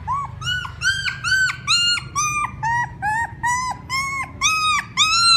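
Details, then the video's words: A puppy cries for its mother in a steady run of about ten drawn-out, arching whines, each about a third of a second long with short gaps. A faint low hum lies underneath. "Sounds Puppies call their mother ||Puppy crying sound"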